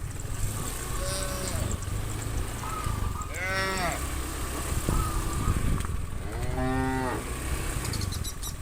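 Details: A large herd of cows moving from the farm to the fields in the morning, adult cows calling the others to grass: two clear moos stand out over constant low rumbling and background herd noise, with fainter calls between.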